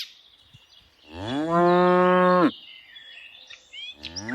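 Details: A single loud, level moo from a tame cow during afternoon herding, swelling in over half a second and held for about a second, surrounded by quiet background with faint bird calls.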